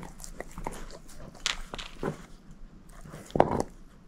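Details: Moose, a female shepherd mix dog, gnawing on a bone indoors: scattered crunches and clicks, with a sharper bite near the end and quiet room tone between them.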